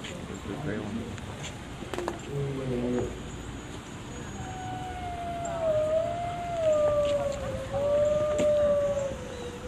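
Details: Gray wolf howling at a zoo in Washington, DC: after a few seconds of human speech, a long, smooth howl rises and holds steady, then slowly falls, with a second fainter howl overlapping it.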